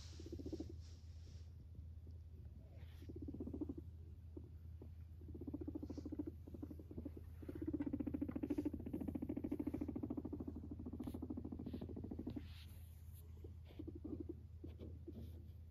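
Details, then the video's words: Domestic guinea pig coming up to its owner and purring, with short low pulsed rumbles early, then a longer, louder stretch of vibrating purr mid-clip, plus scattered clicks and rustles in a quiet room with a low background hum. "My Guinea Pig comes up to me and purrs"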